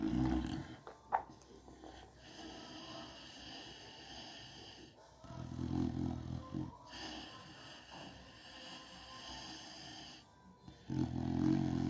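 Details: American Bully dog snoring while asleep indoors: deep, rattling low snores at the start, around the middle and at the end, joined by a drawn-out, wheezy, whistling breath between them.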